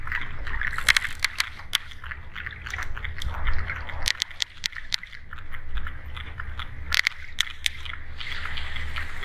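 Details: Sperm whale underwater with sharp broadband clicks in irregular runs and clusters, some closely spaced pairs, over a steady low rumble and faint sloshing water noise.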